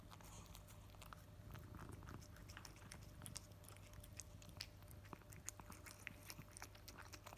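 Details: Cat eating its favourite wet food straight after a sachet is opened, making a steady stream of soft wet clicking and smacking chewing sounds over a low constant hum in a small room.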